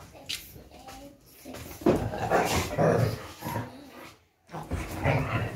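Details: Kombai, a native Indian dog breed from South India, playing in a naughty, energetic way. A short yelp comes first, then a run of rough, uneven growling rumbles. Growls briefly stop before resuming, with some human voice in the background.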